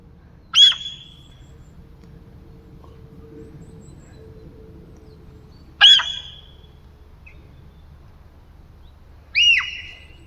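Three piercing, squeal-like calls from a deer ring out at uneven intervals, each starting suddenly with a harsh burst before a thin whistled tail. Between them the surroundings are quiet apart from a faint low hum.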